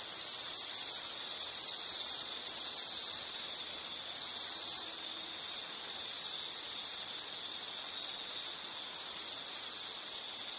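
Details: Insect calls from a nature ambience, a loud, steady, high chirring with brief softer dips midway, layered with fainter high-pitched buzzes.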